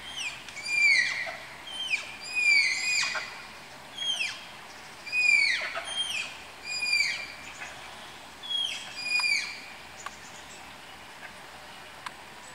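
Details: During pairing at Tama Zoological Park, Malayan tapirs give about ten high, descending whistled squeals in quick, irregular succession, some overlapping. The last few seconds fall quiet.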